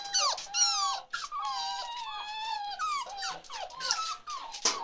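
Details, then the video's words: Forty-seven-day-old chocolate Labrador Retriever puppies whimpering: drawn-out, wavering whines sliding downward, interrupted by short sharp squeaks and a few yelps, several pups calling close together without pause. "Chocolate Labrador Puppies"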